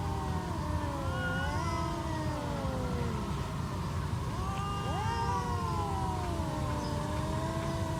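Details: Stray cats squaring off before a fight, trading long, warbling moans that slide up and down, overlapping and swelling around the fifth second, with constant low background rumble.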